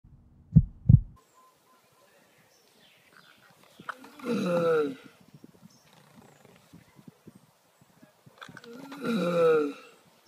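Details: Giant land turtles mating up close, making weird loud noises: two sharp low thumps open, then two drawn-out, strained harmonic groans, each about a second long and some five seconds apart, with quiet gaps between.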